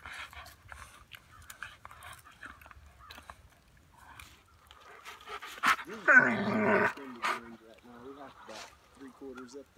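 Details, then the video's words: German Shepherd in the Ouachita Mountains of central Oklahoma attacking a tree, with harsh growling and snarling rising to a loud burst midway, then short whines, while people talk. "German Shepherd Attacks Innocent Tree"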